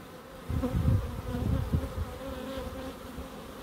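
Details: Bees in a small garden in Crookes: a soft background hum swells into a loud, close, low buzzing that wavers for about a second and a half, then fades back to the steady drone.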